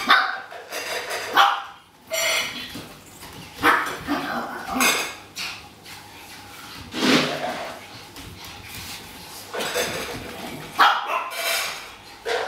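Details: Household Pekingese waiting to be fed give repeated high barks in uneven bursts, some close together and some a few seconds apart. A woman talks between them, with kitchen clatter in the background.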